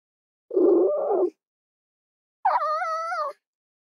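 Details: A rough, noisy red fox vocalisation is followed by a clearer, steady, wavering whine with strong harmonics, each lasting close to a second.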